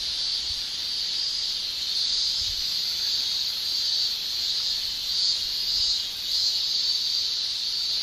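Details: Male cicadas singing in a Japanese summer, a steady shrill buzz with slight swells and dips in loudness, no other sounds standing out.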